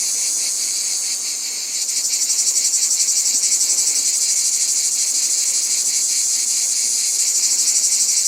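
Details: Cicada in nature: a continuous, high, hissing buzz with fast steady pulsing, growing a little louder after the first two seconds and holding evenly to the end, with no other sounds.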